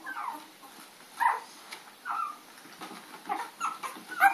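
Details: Puppies chasing a dog named Lady on April 4, 2013, giving short high yelps and whimpering yips in separate bursts about once a second, some rising then falling, with quiet scuffling between calls.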